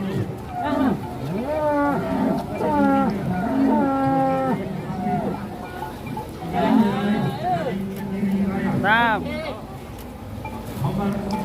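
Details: Giant cattle lined up neatly at a 2022 cattle contest: a series of drawn-out, harmonic moos, some bending in pitch and one rising higher near the end, with background murmur and music.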